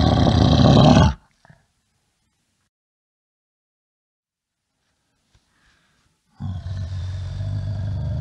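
A bear gives a deep, rough roar, then falls silent before a long, rumbling growl.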